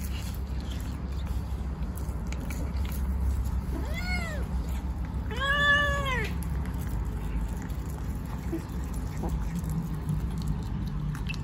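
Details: Kittens Cash and Money chatter while they eat, giving two separate arched meows that rise and then fall, the second fuller and longer, with quiet gaps on either side and a steady low background hum.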